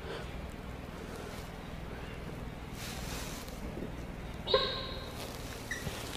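A sambar deer gives a single sharp, loud honking alarm call, warning of a leopard.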